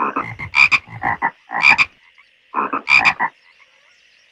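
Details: Frogs in a pond give three bursts of grating, pulsed croaks, each bright double note flanked by lower rasping pulses, then fall quiet for the final second apart from a thin background hum.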